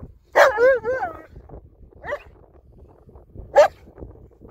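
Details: Bernese Mountain Dog, one of two (the relaxed Albert and the very active, vocal young Olly), playing in summer snow in the mountains: a loud, wavering, warbling bark-howl, then two short sharp barks about a second and a half apart, quiet surroundings.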